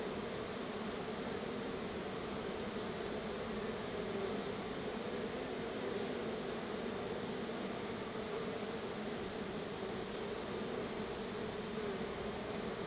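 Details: Crowds of honey bees gather at the hive to take a treat of store-bought honey. Their unbroken, even drone hums low and constant, with a wash of hissy noise above.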